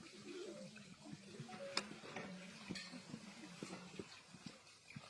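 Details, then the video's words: Sheep-like bleating from a giant panda, recorded March 10 on a day of good eating and play with a red bucket. Drawn-out, low, nasal bleats with steady harmonics sound repeatedly, with sharp knocks and clatter in between. "계속되는 푸바오의 양울음소리"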